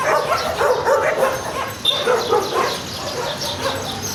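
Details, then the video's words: Stray garbage dogs barking in a dense, overlapping chorus of short harsh yelps and barks, several per second, with no clear pauses between callers. "The sound of barking garbage dogs"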